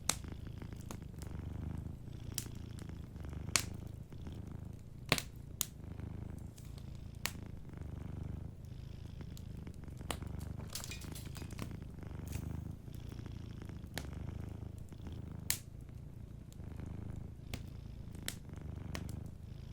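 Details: Gentle purr of a cat asleep near a crackling fireplace; a deep, even throbbing rumble swells with each breath, punctuated by frequent sharp wood pops.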